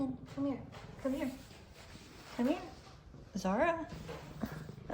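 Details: F2 Savannah cat Zara gives rising, drawn-out meows while F2 Savannah Kumba purrs. Both are happy and greeting their returning owner, who talks softly to them.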